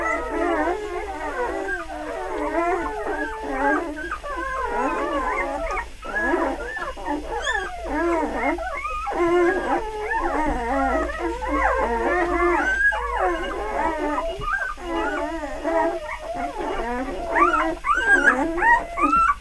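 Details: Three-day-old puppies of litter F Beli Andjeo cry together. Overlapping whining squeals rise and fall without pause, several voices at once, with short wavering wails running throughout.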